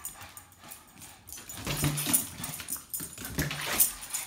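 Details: A Boston Terrier playing with a balloon makes brief, low growls and grunts in bursts amid squeaky rubbing and rustling of the balloon; a person's voice briefly follows. Cow.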